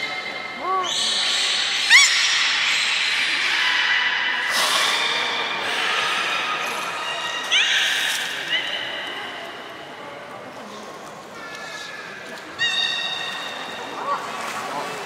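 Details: Belugas Gray, Nana and Niko at Port of Nagoya Public Aquarium training, 14 October 2019. Scattered short upswept chirps and brief reedy harmonic tones mix with a busy background of voices and hall noise.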